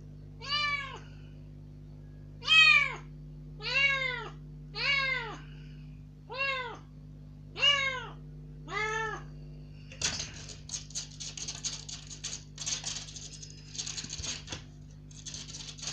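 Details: Kitten out of its cage for the first time since its rescue three days earlier, demanding loudly with surprising volume: seven sharp, arching meows spaced roughly a second apart, then rustling and scrabbling movement noises over a low room hum.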